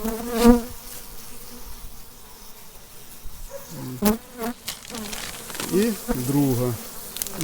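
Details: Carniolan honey bees of an overwintered colony buzz during the first spring hive inspection in calm weather, bees barely flying. Low buzzing tones swell and fade in short bursts, with handling knocks and clicks from the hive.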